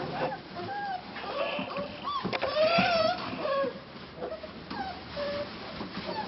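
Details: Cane Corso puppies from litter A2, sired by Wolf Corso Imperium out of Eclipse Corso Di Munteanu, give high, wavering whines that rise and fall, loudest in a drawn-out cry near the middle, with shuffling and rustling noises around them indoors.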